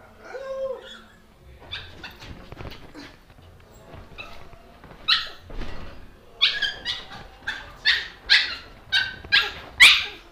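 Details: Dog barking indoors. Scattered sounds at first, then a run of sharp, short barks roughly every half second through the last four seconds.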